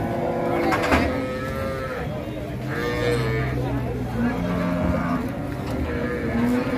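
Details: Qurban cattle unloaded from a truck at Pasar Siyono Harjo in Indonesia, one animal rampaging; a chorus of long, wavering moos overlaps against constant market noise and engine hum.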